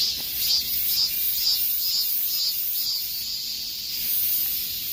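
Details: Cicadas singing in the peak heat of summer: a high, buzzy drone swelling in pulses about twice a second, over a steady hiss, with no other clear sounds.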